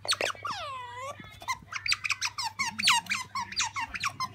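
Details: Pet otter, a female kept indoors, calling eagerly for jerky: a rapid run of high, sharp squeaks and chirps with sweeping upward and downward slides, repeated several times a second, with a low steady hum beneath.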